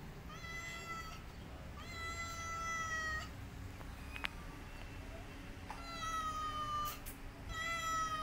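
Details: A mother cat guarding her kittens against a white cat utters long, steady, strongly harmonic wails, four in a row, each lasting around one to one and a half seconds, with a sharp tap partway through.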